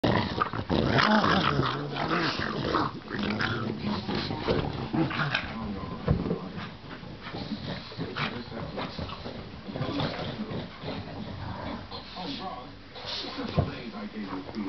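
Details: Pugs and Pekingese playing and running around indoors: a continuous rough, rumbling growl texture with scuffling throughout, louder in the first few seconds and with occasional sharper bursts.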